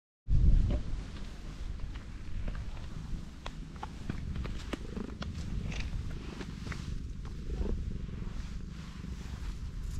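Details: Pregnant black cat lying belly-up, letting her big belly be touched and rubbed; a continuous low rumbling purr fills the recording, overlaid with rustling and soft clicking from the hand stroking her fur.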